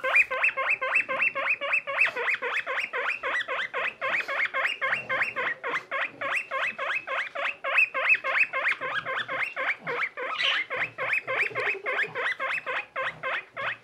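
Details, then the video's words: Pet skinny guinea pig baby, Boniface, alongside companion Pushok: long, insistent series of upward-sweeping squeaks, about three to four per second and quite regular, with a lower drawn-out note near the end and light handling noise. "Guinea pig baby and his friend 🥰 Cute skinny pig"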